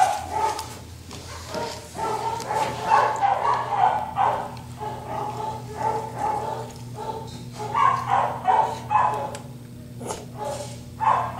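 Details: Gracie, a 6-month-old female cairn terrier and toy poodle mix up for adoption at a shelter, gives drawn-out tonal whines that break into uneven yelping notes, nearly continuous, over a steady low electrical hum.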